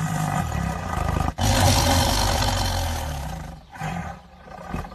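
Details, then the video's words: Feeding tiger tearing at meat lets out a harsh, rumbling roar. After a short break the roar returns louder and sustained, then fades and thins toward the end. "tiger eating meat"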